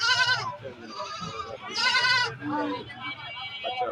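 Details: Goats bleating at a rural goat market, with two loud quavering bleats near the start and middle and softer ones between, mixed with buyers and sellers talking in Bengali.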